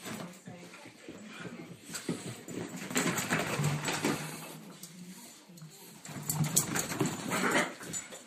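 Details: Cairn Terriers Brodie, three years old, and new 16-week-old puppy Deacon wrestling playfully three days after his arrival; loud, sustained low growls rise and fall in waves, with scuffling bursts between them, indoors.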